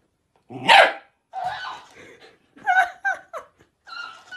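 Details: Dogs barking: one loud sharp bark, then a run of shorter yips and whiny barks at irregular intervals, some rising in pitch, in a quiet indoor setting.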